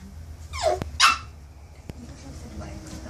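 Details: Toby, a 9-week-old Maltese x poodle puppy, reacts to his reflection in a mirror, apparently for the first time. He gives two sharp, high yapping barks about half a second apart, then the room falls quiet.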